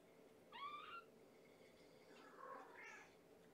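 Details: Hungry kitten Amber, one of five foster Infinity Kittens of mama Gamora born April 14, meows at bedtime feeding indoors: two short rising-falling harmonic mews about two seconds apart over quiet room hum.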